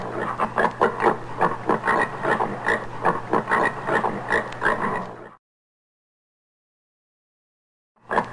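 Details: Common warthog, a wild pig of sub-Saharan African woodland and savanna, giving a rapid series of harsh, rasping grunts, about two per second, for five seconds, then silence before another grunt starts. A steady low hum runs underneath.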